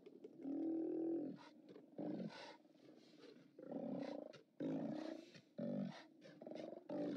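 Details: Steller sea lions at the OrcaLab haulout, filmed by live cam on 29 October 2017, give deep, harmonic, drawn-out roars, several overlapping, with short bursts and brief pauses between longer bellows of a crowded colony.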